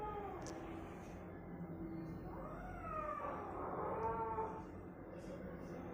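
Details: A cat gives a drawn-out, wavering meow that rises and bends in pitch through the middle of the clip, over steady low background hum and a few faint clicks.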